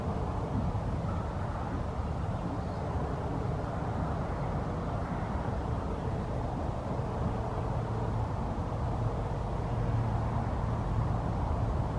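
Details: Continuous low outdoor rumble like distant traffic or wind, with no animal sound.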